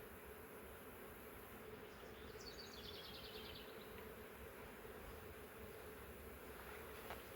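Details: Massive honey bee swarm caught in a swarm trap, taken from a wild hive living in the woods for three years, the bees being moved into a new hive; a steady low hum runs throughout, with a bird's short series of high repeated notes.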